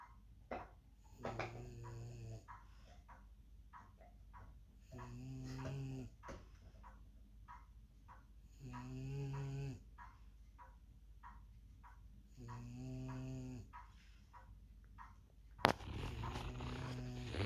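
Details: French Bulldog sleeping on a couch indoors after a day of rough play with another dog, snoring in loud rasping bursts with a low buzzy tone, roughly every four seconds, quieter breaths between.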